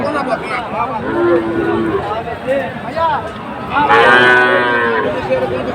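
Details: Sahiwal breed bull calves at a market in Comilla, Bangladesh, mid-August 2024: a steady, level low moo holds for under a second, then a louder, richer bellow follows amid chatter from the crowd.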